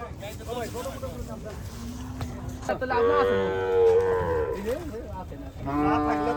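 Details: Cattle at a livestock market where a loudspeaker announcement addresses buyers and sellers: a loud drawn-out moo with rich harmonics in the middle, a second moo near the end, crowd noise and amplified talk behind.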